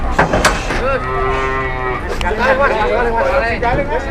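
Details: A cow at a busy market, lying down and unwilling to rise, lets out a sustained flat moo mixed with people talking and clattering market noise, then wavering lower calls.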